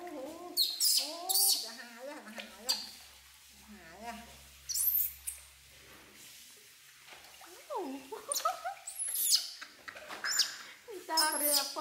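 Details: Refusing to be washed, infant monkey Poy gives loud bent, arching wails in quick series, pausing and then resuming, with splashing water and faint low hum during the bath with baby monkey Nita.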